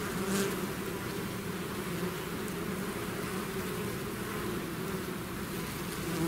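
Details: A swarm of bees out of its hive gives a constant, layered buzz; one bee flies past near the start with a brief louder whine above the steady hum.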